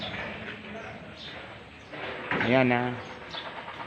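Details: A quavering, nasal goat bleat lasting under a second rises out of the background at a goat farm where the animals are kept in a barn, with people talking nearby before and after.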